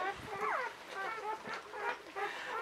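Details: Czechoslovakian Wolfdog newborn, one of five female pups born to Orizon and Rahan on 21 November 2020, giving short squeaky whines, one sliding downward, in a brief burst after the litter is cleaned.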